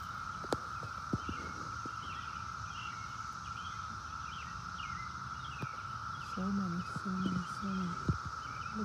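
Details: Many cicadas clustered on a tree and on the ground nearby blend into a constant, level droning hum at one even pitch. A man talks over it near the end, with a few faint bird chirps behind.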